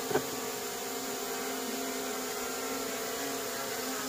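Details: Wild honey bees buzzing during a natural honey harvest in a small plantation: a steady, droning hum with layered tones held evenly throughout, preceded by a brief knock at the start.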